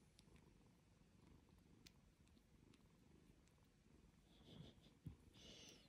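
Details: Purring domestic cat, a continuous low rumble with a soft pulsing texture, joined near the end by faint higher tonal sounds and a short click.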